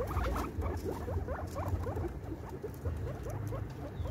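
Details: Female guinea pig giving birth to her baby: rapid series of short, bouncing squeaks, several per second, over a steady low hum.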